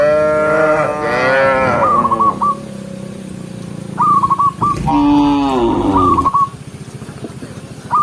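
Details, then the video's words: A herd of dozens of cows walks along a forest road. It opens with a loud, drawn-out, wavering moo, then a second low moo. Brief bursts of sharp, whistled hooked notes are heard in between. "Dozens of cute cows walking neatly along the forest road with the sound of cows mooing"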